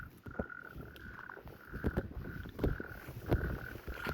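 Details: Natterjack toads (Epidalea calamita), newly arrived at Hoylake Beach, give a steady, rattling churr like a finger run along a comb, unlike common toads.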